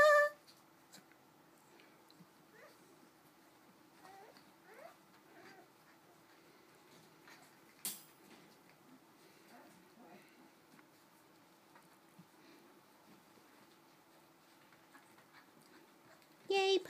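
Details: Cardigan Welsh Corgi puppies at four weeks old, indoors: a loud high whine opens and closes the stretch, with faint scattered squeaks, soft thumps and a low steady hum between.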